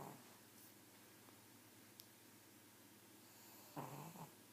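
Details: A pug snores in a quiet room: one short, rough, rasping breath near the end, with layered buzzy overtones, after several seconds of near silence.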